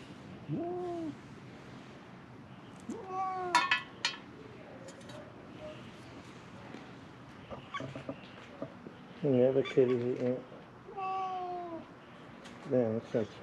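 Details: Feral cats at Mare Island Naval Shipyard in Vallejo, California, crying while hoping to be fed: a series of short, separate meows, some bent and falling, one pulsed and wavering, spread across the recording with rustling and handling noise between.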